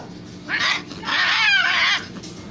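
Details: Siamese cats meowing and yelling: a brief nasal meow followed by a drawn-out, wavering, high yowl lasting about a second that dips and rises in pitch.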